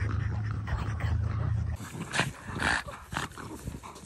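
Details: Great Dane and French Bulldog playing ball: a low sustained growl opens, then breaks into short snorting huffs and scuffling bursts.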